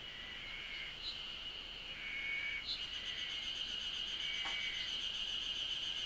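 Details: Chirping cicadas in Japan: a continuous high-pitched ringing tone, joined midway by a rapid pulsed buzz higher up, with a few short sharp chirps and a click standing out over the drone.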